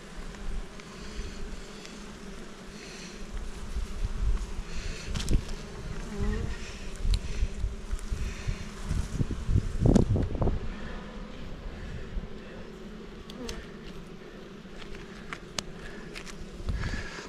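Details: Honey bees kept near Jirisan, Korea, buzzing as a beekeeper works the hive frames in poor weather. A steady low droning hum with layered overtones runs throughout, swelling around the middle, with scattered clicks and handling knocks.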